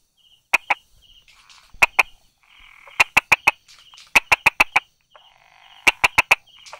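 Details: On 22 July 2016 at 10:44, a Brauer's tree frog tucked among stone cracks and grass calls loudly with crisp 'da-da' taps in runs of two to four clicks. Soft trilling and buzzy sounds fill the gaps.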